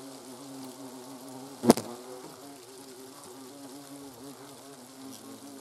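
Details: Hornets in autumn at their comb, as young queens and drones take most food; a steady wavering wing hum broken by a single sharp click near the middle.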